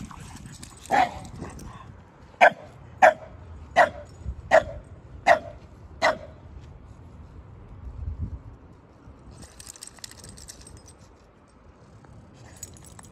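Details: Sully, a Boston Terrier in a muddy hoodie, plays with Kumo, his Keeshond brother; a run of six sharp barks about every half second, with a few softer barks before them, then quiet rustling and a faint hiss.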